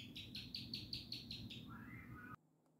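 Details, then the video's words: Gecko chirping for mating, seven sharp clicking notes evenly spaced about a fifth of a second apart, followed by a soft lower whistled sound. "Gecko Chirping"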